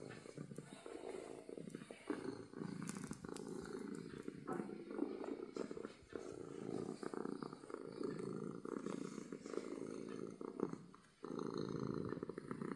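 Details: Domestic cat purring with happiness, a loud, even, low rumble sustained through the recording with a brief drop near the end, faint scratching and clicks in the background.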